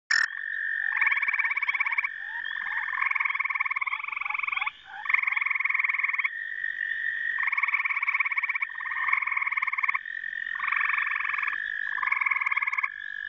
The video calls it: American toad call